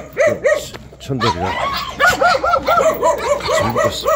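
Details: Jindo dogs barking in a quick, uneven run of short, arched yelps, about one every second, with a lower grunting bark near the middle and a human voice faintly in the background.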